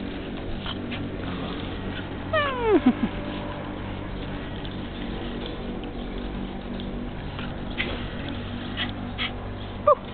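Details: Puppy giving a single high whine that slides steeply downward near the middle, with a faint short squeak at the end over steady low background hum.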